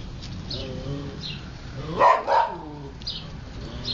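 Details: Siberian Husky puppies playing and eating: a couple of short, bright yelping cries near the middle, with soft rustling and faint whines between them.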